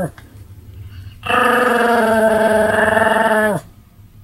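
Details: Continuous barking from Sam the Pomeranian, recorded 7 October 2015: after a faint opening yip, a single sustained, rich, slightly wavering cry lasts over two seconds, raspy and growl-tinged, ending abruptly into a quiet room.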